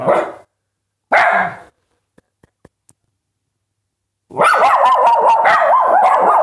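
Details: Dogs barking: two short harsh barks about a second apart, a few faint clicks, then a long dense stretch of overlapping loud barking and yelping over the last two seconds.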